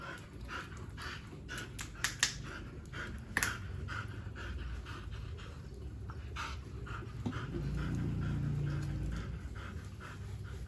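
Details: A Siberian Husky at bath time on a hot day, panting hard: quick, breathy huffs at about two to three per second, with light splashing and handling noises in the background.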